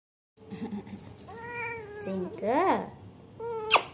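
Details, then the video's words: Kitten, one of three brother kittens, giving several clear, tonal meows: a rising-falling cry, then a wavering, bending one, then a short final mew, with a person's soft baby talk nearby. "Cat Sound || My 3 kitten Babies"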